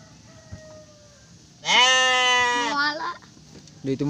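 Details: Garut sheep, ewe giving birth to three lambs: a single drawn-out bleat about a second long that drops slightly in pitch at its end, followed by a brief voice.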